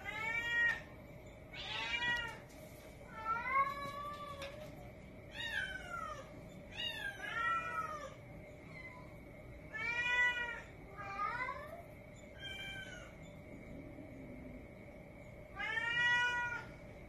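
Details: A young black female Domestic Shorthair cat, one year old and up for adoption, meows about ten times across seventeen seconds, with short rising-and-falling calls in uneven bursts and brief pauses between them, over a constant background hum.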